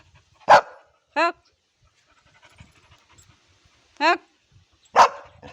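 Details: Labrador Retriever making talking-like sounds: two short, sharp bark-like bursts at the start and end, with two brief, wavering, whine-like calls between them that sweep up and down, in a quiet room.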